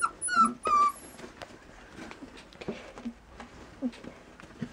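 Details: Border Collie, puppies for sale, giving two clear high whimpering whines at the start, each sliding down in pitch, followed by quieter scattered soft yips and rustling.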